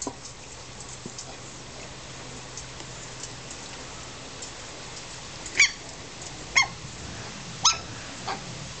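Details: Young Australian Terrier puppies at play in a garden in summer: after a long quiet stretch, four brief, thin, high-pitched yips about a second apart near the end.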